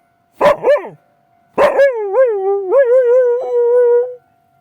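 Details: Akita at night, reacting intensely to the sound of a railway crossing: two sharp barks, then a wavering howl that rises and dips in short swells before settling into a steady tone, with a faint steady tone behind the first seconds.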